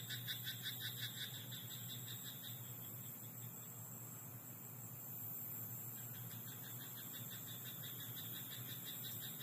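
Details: At night in a rice paddy, a frog opens with a rapid pulsed croak train lasting about two and a half seconds, then falls silent. Only a soft, steady, insect-like hiss and low hum continue.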